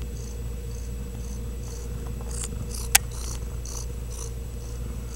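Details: Ragdoll kitten purring close up at a home cattery in central Kansas: soft rhythmic breathy pulses about twice a second, with one sharp click midway and a low steady hum behind.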